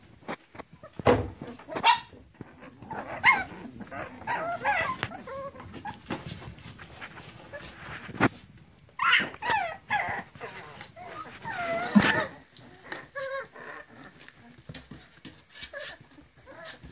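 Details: Litter of seven Griffon puppies, three male and four female, aged 40 days, in Cairo: scattered thin squeaky yips and whimpers through the recording, some brief barks, over constant shuffling and handling noise.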